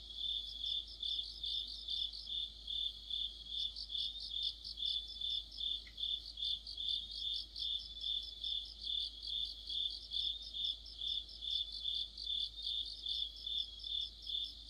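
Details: Crickets and companion insects sing an autumn chorus under a streetlight: a bright, high, sustained trill beating in steady waves about twice a second, with a soft low hum underneath.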